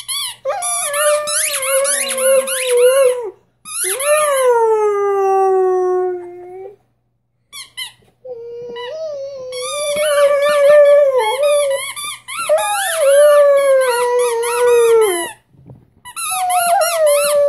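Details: Six-month-old Rhodesian Ridgeback puppy Bruno meets his first squeaky toy: drawn-out, wobbling howls that sweep up then slide down, with shrill squeaks from the toy over several phrases.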